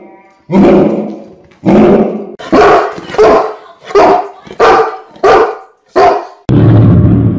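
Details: Deep barking of big dog breeds, a compilation including English mastiff, Newfoundland, St. Bernard, Great Dane, Landseer and Leonberger; about eight heavy, low barks spaced roughly a second apart, ending in a longer rough bark.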